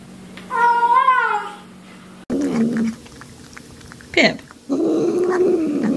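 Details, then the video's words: Cat or kitten meowing over food, likened to nom nom nom: one wavering harmonic meow, then after a cut, lower murmuring mouth sounds and a brief sharp noise, indoors. "面白い猫と子猫を食べながら鳴きながらYUM YUM YUMを言って"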